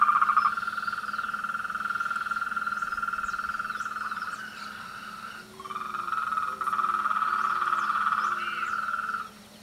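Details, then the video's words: Frogs calling together in a chorus during the mating and courtship season: a loud, sustained high trill that drops out briefly midway, with a row of short, lower croaking notes underneath. "El coral de las ranas"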